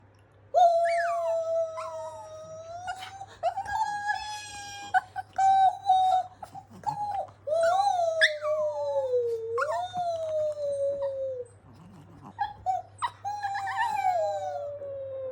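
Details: Chihuahua-Pekingese mix dog howling, the howl prompted on purpose: long wavering tonal howls with rich harmonics, sliding up and down, broken by short pauses and yips, lasting through the clip; steady low hum underneath.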